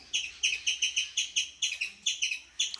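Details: A mother squirrel, crying out after her baby was separated from her, gives sharp, high chips in a rapid series, about five each second.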